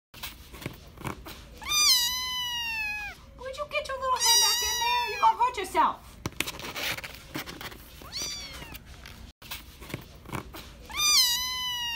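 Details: Kitten named McNugget in a cardboard carrier box at the ACCT Philly animal shelter, Philadelphia, USA, filmed September 22; loud, drawn-out descending meows near the start, middle and end, with a human voice talking between and beneath them.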